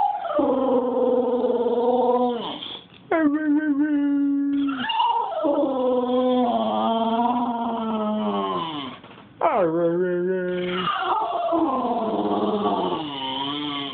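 An English Bulldog howls in long, wavering, drawn-out notes that slide up and down.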